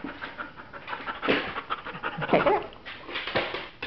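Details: A female Border Collie at an adoption shelter panting in quick uneven breaths, with a woman praising and giving commands nearby indoors.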